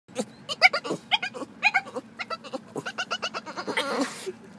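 A Boston Terrier gives quick, squeaky, bleat-like chirps in a rapid series, eager to befriend another dog.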